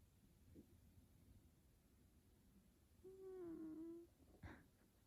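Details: Sleepy F2 Savannah cat Taj, being petted indoors, lets out one soft drawn-out tonal murmur lasting about a second, slightly falling, followed by a brief click in a quiet room.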